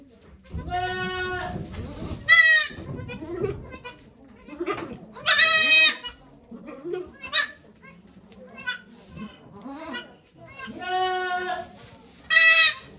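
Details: On 3 May 2023 at Yoshigake farm, Japan, the goat Okayu gives birth to two kids with volunteers present. Bright, quavering bleats come in uneven bursts, some short, some long, mixed with soft human voices and murmurs.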